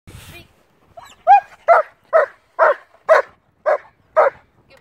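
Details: Dog barking on the speak command during training: after a brief whine, seven sharp, evenly spaced barks about every half second, with a person speaking briefly at the start.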